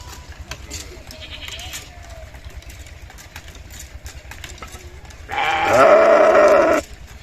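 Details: Sheep giving one loud, nasal bleat lasting about a second and a half near the end, after several quiet seconds of faint background noise and soft distant sounds.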